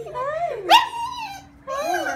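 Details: A female Shiba Inu whines in high, wavering tones, excitedly greeting her owners on seeing them again after two weeks apart.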